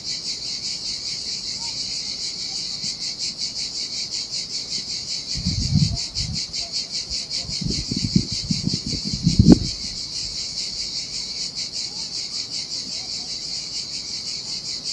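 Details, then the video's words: Cicadas singing in the heat beside the Sardinian sea, a high unbroken pulsing buzz throughout, while a few low thumping splashes or knocks break in midway. "Ocean Waves & Cicada Sounds"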